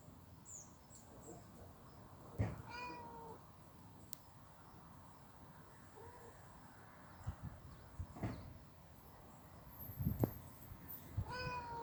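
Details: Street cats fighting in someone's storage shed give short, tense meows with harmonic bands, a few separate cries spread across the clip among low background rumble and scattered knocks.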